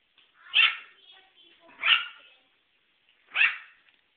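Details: Dog barking, recorded on a mobile phone: three sharp, bright barks spaced a bit over a second apart, each a short burst with a quick decay, quiet between them.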